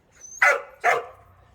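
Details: Two strong, rough barks from the dog Cheondung-i, recorded after a walk, sound close together with a brief gap. A faint thin whistle comes just before the first bark, then near silence.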